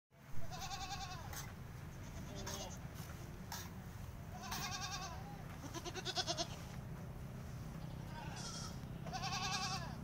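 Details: Peranakan Etawah goats being procured in Aceh Besar, giving several quavering, harmonic-rich bleats, some overlapping, spread across ten seconds over a steady low hum and background voices.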